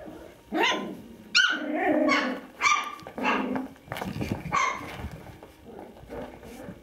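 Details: Five-week-old Kooikerhondje puppies of the dam Quita, playing and goofing around indoors; sharp high yips and barks in irregular bursts about once a second, some with rising then falling pitch, in a small room.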